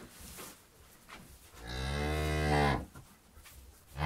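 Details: Cow mooing in a barnyard with countryside ambience: one long, low, droning moo swelling for about a second and fading, with quiet rustling and faint background noise before and after.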